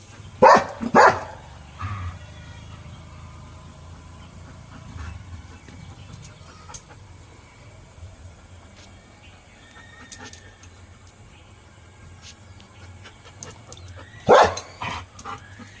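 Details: Pet dog in India barking at a vehicle that has arrived: two quick barks and a short yip at the start, a long quiet stretch with faint background noise, then another pair of barks near the end.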